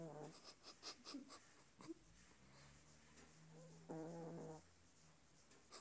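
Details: Small chihuahua snoring in a quiet indoor room: a short snore at the start, soft breathy puffs and clicks, then a longer, buzzy, harmonic snore lasting under a second near the four-second mark.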